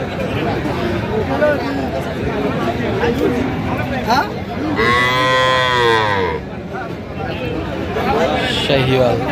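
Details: Sahiwal bull calf at a cattle market in Narsingdi, Bangladesh, bought by a farmer on 31 January: one drawn-out harmonic moo of about two seconds midway, amid steady crowd chatter and voices of people.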